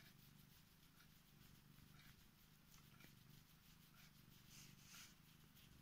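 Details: Korat cat, female, climbing into bed to wake her owner and show affection, purring with a continuous low, even rumble that holds steady from start to finish under faint bedding rustle.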